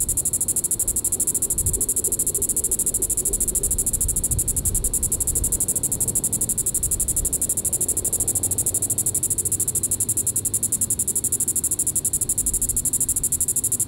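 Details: Evening calling by a Diceroprocta vitripennis cicada, Sand Hills State Park, Reno County, Kansas, July 20, 2014: a piercing, evenly pulsed high buzz at constant loudness throughout, with softer low rumbling noise underneath.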